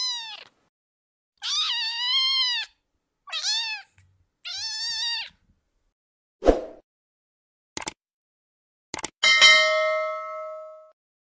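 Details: Newborn kittens giving four high, wavering mews in quick succession, followed by a few sharp knocks and clicks and a final ringing metallic ding.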